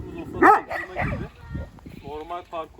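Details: Kangal dog at a farm gives one loud, harmonic bark-like yelp near the start, followed by people talking in Turkish and a few short, fainter vocal sounds.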